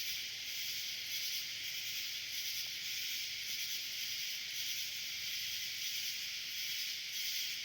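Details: At night in summer, a dense swarm of cicadas forms a steady, high-pitched hiss with faint pulsing throughout.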